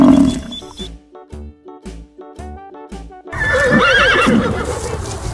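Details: Horse on a farm: after about three seconds of plucked, rhythmic music, a loud wavering whinny rises and falls for roughly two seconds over a noisy background.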